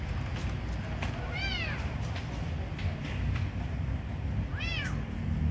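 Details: Kitten being fed gives two brief arched meows several seconds apart, bright and high, against a constant low rumbling background.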